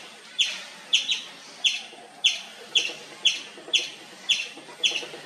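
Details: An Indian palm squirrel gives loud, continuous chirps, short and shrill, spaced about half a second apart; ten evenly paced notes, with a faint low background hum.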